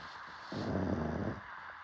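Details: Pug snoring: one rough, low, rasping breath of just under a second, with a steady faint hiss in the background.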